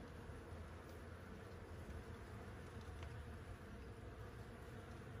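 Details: Insects in climbing plants on a building facade in Flanders, on 1 September 2022, give a steady, low buzzing hum, blended together without pause.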